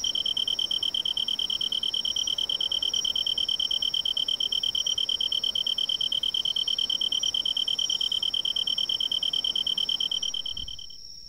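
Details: Kantan-type tree cricket in riverside woodland during autumn insect collecting in Japan: a continuous high, pure-toned pulsing trill held for about ten seconds, then fading out abruptly near the end.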